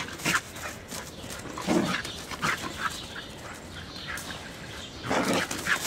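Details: Aussie herding dog producing a rapid string of short, rough barks and yelps, several per second at times, over a constant hissy background.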